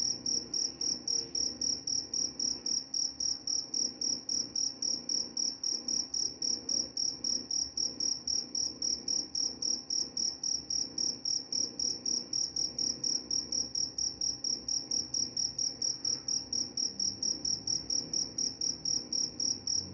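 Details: Continuous cricket chirping, offered as a sound for falling asleep and driving off mice: a bright, shrill pulse train repeating quickly and very regularly for the whole stretch, with only faint low background noise.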